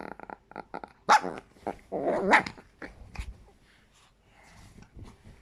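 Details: Chihuahua likened to a squeaky toy, producing quick squeaky yaps followed by harsh, rasping growl-barks and a grumbling rattle, then quieter muttering noises.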